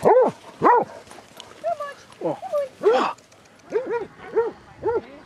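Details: Basset Hounds, one of 22 on a group walk round Belwade Farm, Dess, Aboyne, Scotland, on 2 October 2016: loud, sharp barks come in quick succession, about nine in five seconds, with a person speaking between them.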